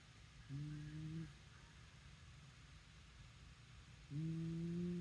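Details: A sleeping Shiba Inu gives two steady, low humming snores, each lasting about a second with a fainter tone above it, separated by a few seconds of near silence and faint hiss.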